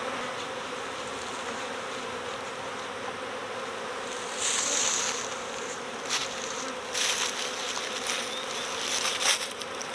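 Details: Swarming honeybees flowing into a box while workers fan at the entrance, a large cluster still in a nearby bush: steady high hum with bright passing buzzes of bees flying near, louder around the middle and end.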